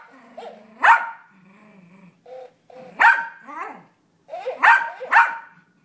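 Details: A six-year-old pet Yorkshire Terrier, recorded indoors on a phone, barks back and forth with a toy parrot that echoes him. Four sharp, ringing barks come at uneven gaps, mixed with short, quieter mimicked yaps and low, humming sounds.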